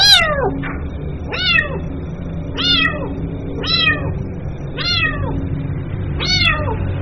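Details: Kitten calling its mother with six bright, high-pitched meows, each sliding downward, repeated roughly every second, against a soft low background hum.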